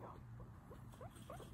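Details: Guinea pig chatting away, giving a run of short, quiet squeaky chirps that rise and fall in quick succession, with a low steady hum underneath.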